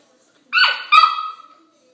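A corgi puppy gives two quick, high, nasal whining yelps, the second drawn out and falling away.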